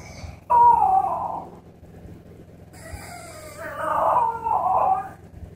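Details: A French Bulldog puppy left in her pen during cleaning cries in two long, wavering wails that rise and fall like a human baby's.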